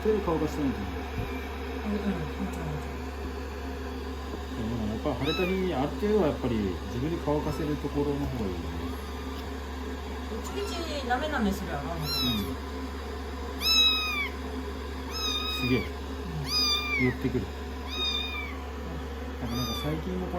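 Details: Rescued kittens, day 16 of their growth record, nestled affectionately on a lap under a hair dryer after a shampoo; human talk first, then a run of high, arched, falling meows about once a second over a steady dryer hum.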